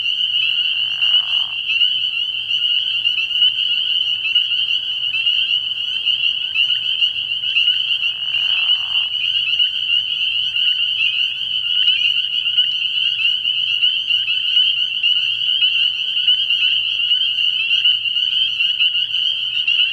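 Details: Dense night chorus of many spring peepers at a frog pond early in the year: a continuous high, shrill band of overlapping peeps. Two brief lower raspy bursts stand out near the start and around eight seconds.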